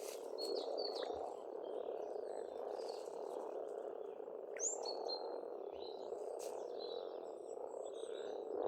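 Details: Frogs calling in spring at a pond on a farmstead in Estonia: a dense, continuous low croaking chorus fills the whole stretch, with scattered high whistled bird notes and short chirps above it.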